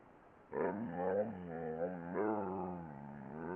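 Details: A 'talking' dog produces a continuous low, groaning vocalization with strong harmonics. The pitch bends and wobbles in speech-like inflections, rising briefly twice and then trailing off into a steady moan.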